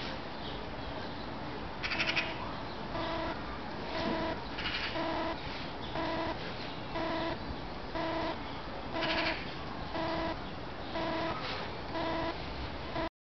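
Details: Hamadryas baboon named Maszat, alone at Budapest Zoo, giving harmonic calls roughly once a second in a steady series, with a few louder, harsher bursts among them.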